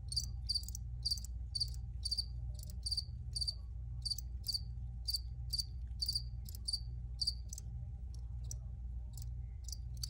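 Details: Steady cricket chirping, recorded for relaxation: a long regular series of short, high, bright pulses, roughly two per second, with fainter chirps between and a persistent low rumble beneath.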